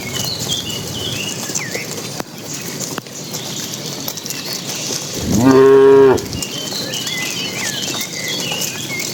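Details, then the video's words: Cattle from a herd driven by a herder into the pen as late afternoon falls: one short, loud, tonal moo about a second long in the middle. Faint bird chirps and rustling fill the rest. "Suara puluhan sapi saat memasuki kandang"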